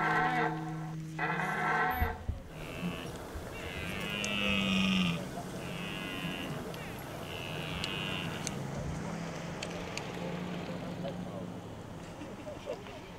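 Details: Red deer during the 2023 rut in Hoge Veluwe park, a spot where rangers put out apples. A deep roar opens the recording, followed by fainter, higher moaning calls that come and go against a noisy background.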